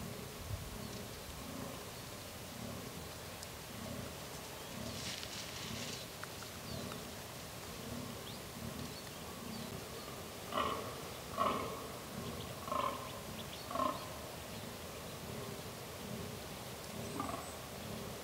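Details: Fallow deer during the rut, with many different deer arriving: low, belching grunts repeated roughly every second, followed by several louder, harsher bursts near the end, over steady outdoor background noise.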